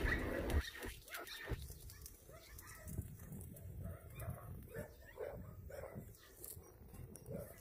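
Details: Abandoned shelter dogs at Yangsan Mindeulle Shelter in South Korea during a volunteer visit, barking in a rapid, uneven series of short low bursts that overlap, with faint human voices in the background.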